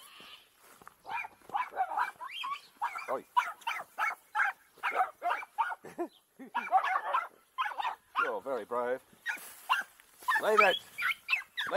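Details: Farm dogs, an unusual mixed group including dachshunds and maremmas, playing together on a rain-soaked farm with long wet grass: rapid runs of sharp, high yapping barks in quick bursts, with a man's voice talking to them in between.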